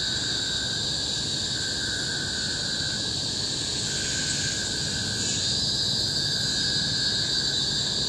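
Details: Chorus of cicadas in the Bukit Timah Hill nature reserve, Singapore, recorded in 2017: unbroken piercing hiss-like drone that swells slightly midway, over an intermittent lower steady tone.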